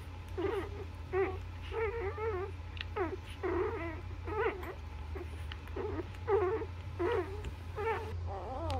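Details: Several overlapping squeals and whines come from newborn Labrador puppies suckling at their mother, dense and wavering throughout, with a constant low hum underneath.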